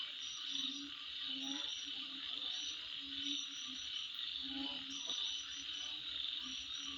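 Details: Insects calling at midnight: a dense, unbroken high-pitched buzzing drone, overlaid with short, sharp chirps repeated in clusters and lower pulsed notes that recur roughly every second.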